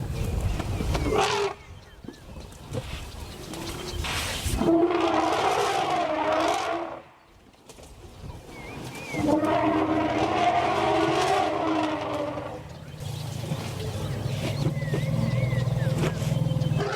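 African elephants give long, brassy harmonic trumpets, then a deep sustained rumble, while guarding a newborn calf.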